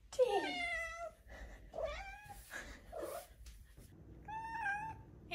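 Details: Hungry five-month-old Maine Coon kitten Tink meows indoors, a strong descending mew followed by softer rising chirps and a final wavering trill-like meow, against quiet room hum.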